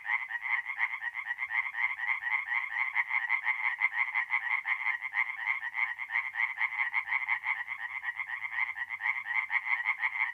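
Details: Tree frogs singing at night in a forest pond in north-east Italy in mid-April: a dense chorus of rapid, rattling pulsed calls, many animals overlapping without pause, bright and steady throughout.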